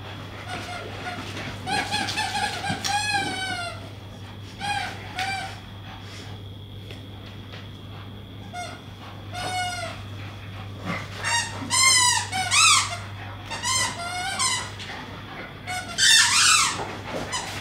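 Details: Two English Staffordshire Bull Terrier puppies at play, chasing each other and tugging on toys: bursts of high, harmonic whines and squeals, some rising then falling, separated by quieter pauses over a steady low indoor hum.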